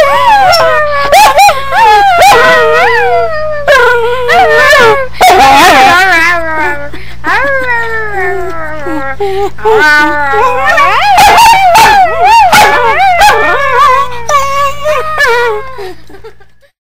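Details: Dog, a new pet, howling: a long run of wavering, sliding howls rising and falling in pitch with rich overtones, broken by short sharp yips and barks, continuous for about sixteen seconds, then stopping.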